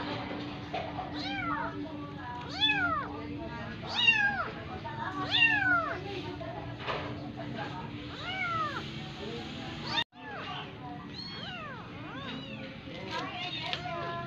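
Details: Persian kitten pushed to suckle from a foster cat; repeated high, curved mewing calls roughly every second or two, some stacked and overlapping, a short dropout midway, steady low hum beneath.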